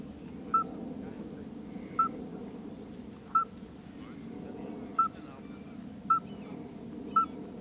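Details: Common midwife toad calling: six short, pure, whistled pips at one steady pitch, spaced about every one to one and a half seconds, over a constant low background hiss.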